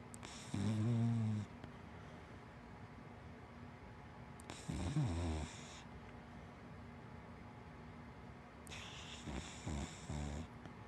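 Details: Asleep indoors, Hana the big black dachshund–Labrador mix snores three times, about every four seconds. Each is a low, rattling, buzzy breath lasting roughly a second, with near silence between them.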